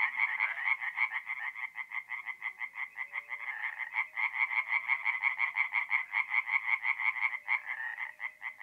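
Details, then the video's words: A nighttime forest pond in North-East Italy in mid-April, with tree frogs singing. Quick repeated croaks form a long unbroken rattle that briefly stutters near the end. "relaxing forest pond by night with singing tree frogs"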